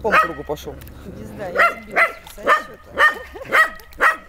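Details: Dog playing with water, giving a run of sharp barks about twice a second after a brief murmur of voices at the start.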